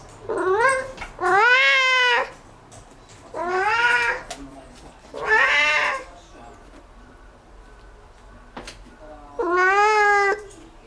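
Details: Pet cat meowing loudly and repeatedly after discovering a bug; long, harmonic, wailing meows, several lasting over a second, spaced a couple of seconds apart, with a quiet gap before a final drawn-out cry.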